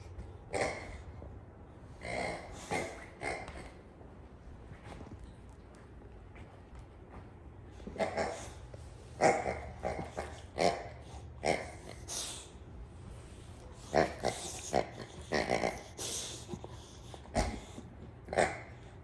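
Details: Jayda, a female Boxer dog, indoors in a playful showdown with her pink pig toy under her bed: repeated short, rough growling bursts and gruff barks in uneven clusters, separated by brief pauses.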